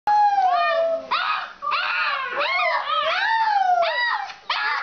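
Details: An Alaskan Malamute howls in a kitchen at 11:45 pm, giving drawn-out, wavering howls that slide up and down in pitch.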